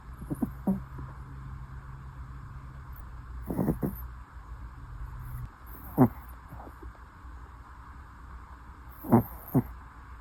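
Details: Chiroru, a pet Toy Poodle, snoring while asleep: soft low rumbling breaths broken by sharper snorting snores about every two to three seconds, with a faint hum underneath.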